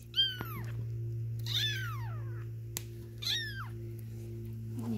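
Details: Three-week-old Egyptian Mau kittens, a litter with silver males, filmed 12 September 2019: three high, sharply descending meows about 1.5 seconds apart, over a low electrical hum and a soft woman's voice nearby.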